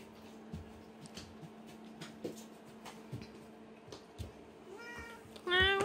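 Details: Cat meowing indoors beside its scratching post and ball toy box, which it has figured out: scattered tapping and light clatter, then two short, loud meows close together at the end, with a constant background hum.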